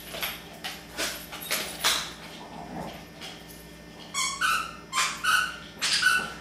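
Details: Boston Terrier named Mamaleowrd, caught on a hidden camera at Christmas, gives a run of short high whimpering whines in the last two seconds after several dull rustling thumps and scuffles indoors.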